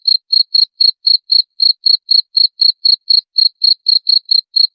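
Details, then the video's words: Cricket call for tutoring cage songbirds: a steady train of short, bright, high chirps repeating roughly four times a second, evenly spaced, clear and isolated against silence. "SUARA JANGKRIK MASTERAN UNTUK SEMUA BURUNG"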